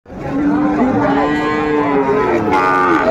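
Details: Sahiwal bull calf being bought by farmers in Comilla, Bangladesh, on 18 October 2024: one long, steady, low mooing call that holds its pitch for nearly three seconds, then lifts and strains near the end, with a faint murmur behind it.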